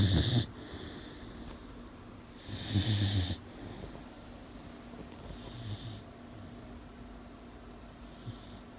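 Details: An 18-week-old puppy sleeping and snoring at night, low rumbling breaths in three bursts roughly every three seconds at first, then quieter, softer breathing over a faint steady hum.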